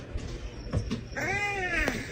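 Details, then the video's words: A domestic cat gives a single short meow that rises then falls, over a quiet room hum, with soft clicks and knocks just before it. "cats meowing"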